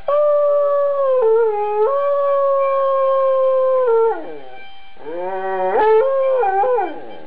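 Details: An Afghan Hound sings along to a harmonica, howling in long, wavering tones over its steady notes, seeming happy with the sound.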